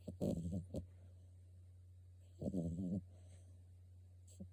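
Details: French Bulldog puppy snoring while asleep indoors: two short, low, buzzy snoring bursts about two seconds apart, with a steady low hum underneath.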